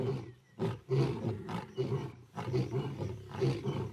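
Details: Wild lionesses roaring together at night, drowning out two rival brother males; short, deep, grunting roar pulses come in uneven bursts with brief quiet gaps between them.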